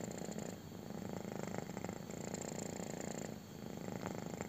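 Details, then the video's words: Belly-rubbed kitten giving a strong, buzzing purr, a dense low rumble with a short dip in loudness near the end before it resumes. "CUTE KITTEN LOVES BELLY RUB! | INTENSE PURRING"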